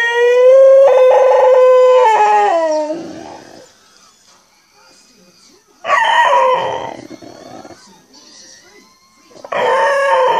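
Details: A Cocker Spaniel "sings" along to R2-D2 with a sustained, fairly high howl that breaks into falling, wavering notes. Shorter, harsher warbling bursts follow amid R2-D2's electronic chirps and beeps.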